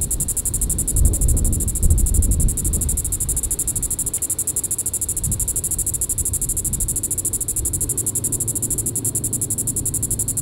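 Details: Diceroprocta vitripennis cicada calling in the evening at Sand Hills State Park, Reno County, Kansas, on July 20, 2014: a steady, high-pitched, rapidly pulsed buzz runs throughout over low rumbling wind-like noise, strongest in the first three seconds.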